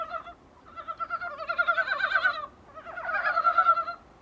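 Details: Dybowski's brown frog heard from a small room window: two bursts of rapid, pulsed croaking notes with a steady low tone and a higher overtone, each burst lasting about one to two seconds, separated by brief quiet.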